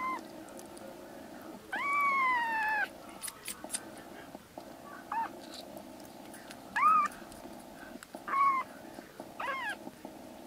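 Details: Three black kitten siblings in temporary foster care, recovering and now wandering the room and calling loudly; one long drawn-out falling meow, then several brief higher mews, all over a constant background hum.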